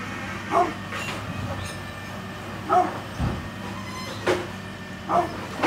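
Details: Brindle pit bull, 9.5 years old, giving short sharp barks spaced roughly one to two seconds apart, four in all, over a steady low rumbling drone like a passing train.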